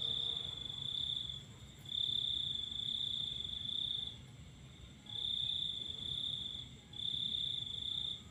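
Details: Cricket song on a moonlit night, a piercing high trill in long sustained phrases broken by short gaps, accompanied by a faint continuous higher tone and quiet low rumble.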